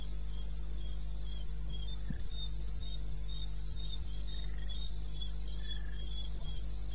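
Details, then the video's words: Crickets at night in eastern Botswana wilderness, 21 May, 2:30 AM: bright, high chirps in quick pulsed bursts from several insects, a faint lower trill joining, steady low hum beneath. "1 Hour cricket sound-Africa-No loop-Real recording. Not edited."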